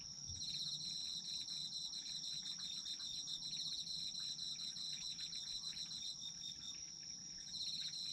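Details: Autumn insects in a dense chorus: a steady, very high shrill trill runs throughout, overlaid by a lower, rapidly pulsed chirping train that breaks off briefly near the end and resumes, with a faint low background hum.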